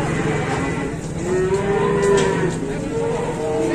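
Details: Giant cattle being unloaded in Indonesia, an animal that stands motionless like a statue; a drawn-out, slightly rising low moo lasting about a second, over steady crowd murmur and engine-like rumble.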